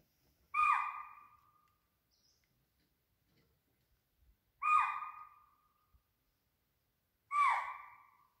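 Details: A spotted deer or swamp deer near a water body at Pench gives loud, sharp, slightly falling barked calls, three times, a few seconds apart, with a tiger probably nearby downstream.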